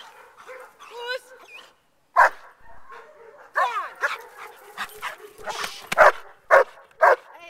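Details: Male German Shepherd in bark and hold training for an upcoming Schutzhund I trial: mixed whining, yelping sounds give way to a burst of forceful barks at the end, repeated in quick succession.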